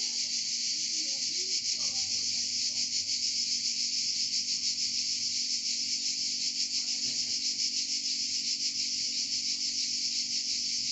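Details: Song of cicadas in Provence, France: constant high, rasping buzz from many insects, finely pulsed at a rapid regular beat, filling the whole stretch, with faint low background noises.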